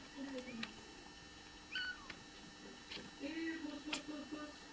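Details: Bengal cat with kittens being born: thin, high kitten squeaks scattered among lower, drawn-out mewing calls, with soft clicks and handling noise in a quiet room.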